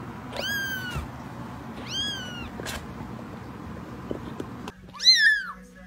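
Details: Kitten giving two drawn-out descending meows a second apart, then a quiet stretch with a few soft clicks and taps, ending with a louder, higher meow, from an ASMR recording.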